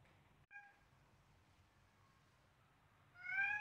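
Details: Selena, a seven-week-old Siamese kitten, plays with a duckling indoors, giving a short clipped meow, then a longer rising, louder meow after a quiet pause.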